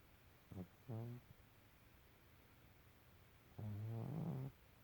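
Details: A female pet cat snoring in very deep sleep: two short low snorts, then a longer rough, droning snore that rises slightly near its end, with quiet pauses between.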